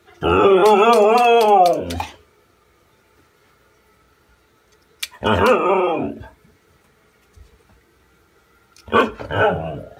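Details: Siberian Husky in a small room letting out loud, undulating howls: a long wobbling cry of nearly two seconds, a shorter one near the middle, then a broken final burst, with quiet pauses between.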